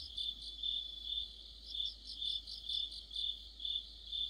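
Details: Autumn insect orchestra led by crickets: high, shrill chirps pulsing roughly twice per second in overlapping bursts, a continuous ringing chorus over a quiet background.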